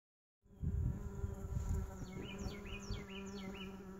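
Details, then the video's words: Mason bees inside a lawn mower bagger make a steady low droning hum. Short chirping bird notes repeat in the background during the second half. "Mason Bees in lawn mower bagger"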